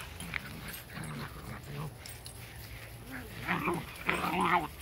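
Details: Two 9-week-old Weimaraner puppies playing outdoors give rough, low growls and short yips, broken and uneven.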